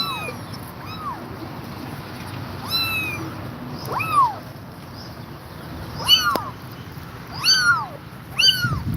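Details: Tired mother cat refusing to leave her kittens alone; a string of short, bent meows, rising and dropping in pitch, coming in small clusters with quiet gaps and soft background hum.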